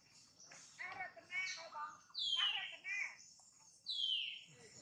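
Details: Jane, a pregnant mother monkey, gives short harmonic squeals, then long shrill cries that slide downward, separated by brief silences; faint chirps are heard in the background.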